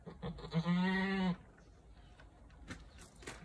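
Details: Eleven-year-old female Japanese Saanen mixed goat kept at a house, acting aggressively and picking a fight: one loud, low, drawn-out harmonic bleat lasting under a second, followed by faint rustling and knocking sounds.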